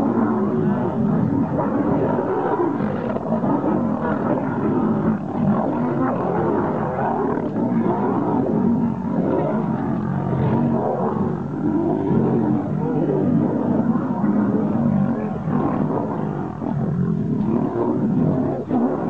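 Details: Lions fighting: a steady mass of deep, rough growls and snarls runs throughout with no pauses. The calls overlap in a continuous low, rumbling roar.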